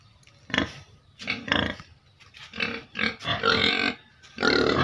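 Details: Pigs living in a cage on a family farm, raising repeated harsh squealing and grunting cries, several noisy bursts a second long, the last ones longer and louder.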